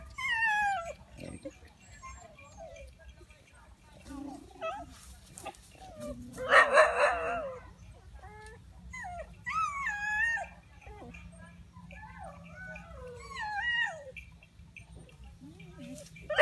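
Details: Village dogs gathering to attack together: high, sliding whines and yelps come in scattered bursts, with a loud harsh bark near the middle and quieter whimpering runs later over a steady low hum.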